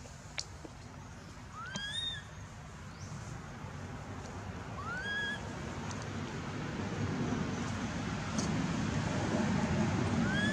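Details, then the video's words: Hurt after Aron struck and dragged her over hard ground at Angkor Wat Temple, baby monkey Anissa gives short rising squeals, scattered every few seconds, thin and tonal above a growing rumble of background noise. "Baby Monkey Anissa Cries Breaking Mouth Pain Aron Hit And Drag Her Across The Hard Earth"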